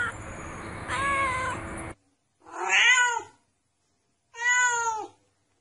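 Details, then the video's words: Kitten meowing cutely: three drawn-out, rising-then-falling meows about two seconds apart, the first over a steady background hiss, the last two against near silence. "tiếng mèo kêu meo meo mèo con kêu dễ thương"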